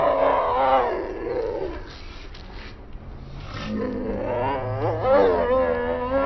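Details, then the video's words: Angry cats fighting: low, wavering drawn-out yowls that rise and fall, fading in the middle before a second quavering growl-like wail builds up, with background noise. "ANGRY CATS /FIGHT CATS"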